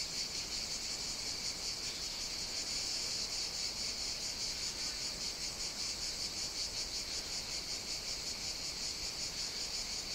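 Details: Many cicadas in a hot Greek summer on Evia, singing as a steady, high-pitched whirring chorus that gently pulses through the whole stretch with no other clear sounds.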